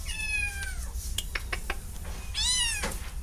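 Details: Domestic cat giving two clear meows, a long falling one then a rising-falling one, separated by a few soft knocks in a quiet room.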